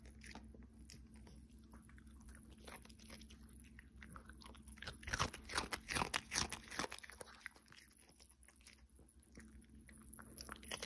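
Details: Chewing by Cookie the Pomeranian, recorded ASMR-style in December indoors: soft scattered crunches build to a dense cluster of loud crackling bites midway, then ease back to faint nibbling.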